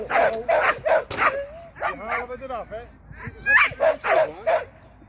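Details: Shetland sheepdog Sian at agility training, taking a first flyer on the seesaw and a first pass through the tunnel. Quick runs of three or four high barks sit on either side of a drawn-out whining, speech-like stretch.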